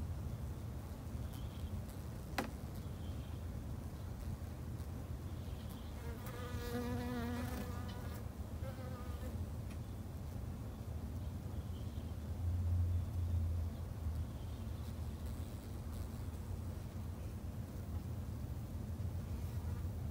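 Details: Garden-kept Japanese honey bees hum steadily and low. One bee passes close around six to eight seconds with a louder, wavering buzz, and a sharp click sounds near the start.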